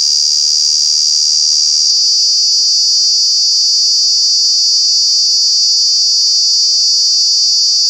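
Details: Cicada in Kanha National Park, calling in the summer months: a loud, unbroken high buzz, steady throughout, with a faint low steady hum beneath it.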